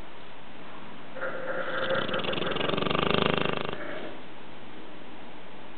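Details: Dogue de Bordeaux mother and pup snoring together: one long, rough, pulsing snore of about two and a half seconds, rising gradually in loudness and fading, over a quiet indoor background.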